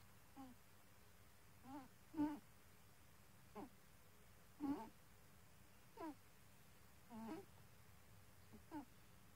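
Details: Domestic cat snoring in its sleep, giving a series of short, squeaky whistled breaths roughly every one to one and a half seconds, some louder and some faint, against a low steady hum.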